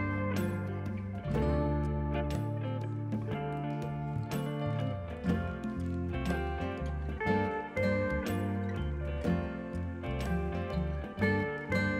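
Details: Plucked acoustic guitar music with steady chords and melody plays throughout, with no animal sound audible.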